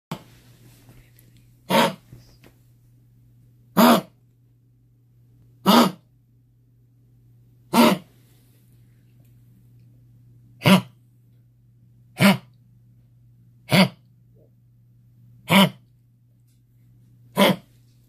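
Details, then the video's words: Pomeranian puppy, a small-breed dog with kennel cough, giving a whooping, honking cough: nine short, harsh bursts about every two seconds over eighteen seconds, with a steady low electrical hum behind. "Kennel Cough - Pomeranian"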